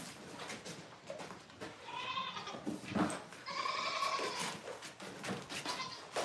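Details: Domestic goat on a farm, a doe about to be shaved and milked for the first time this year, with kids to be bottle fed: two wavering, harmonic bleats, one short and one longer, with faint background rustling.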